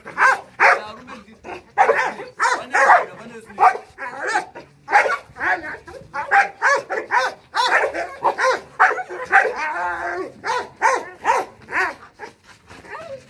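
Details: Guard dogs of the Boerboel and Rottweiler breeds, trained to protect a home, bark in dense repeated volleys while people talk in the background.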